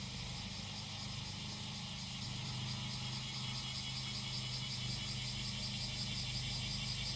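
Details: High, rasping cicada chorus pulsing quickly over a steady hum, heard alongside the deep idling roar of a grass-cutting engine that grows slightly louder toward the end; recorded outdoors in rural Japan.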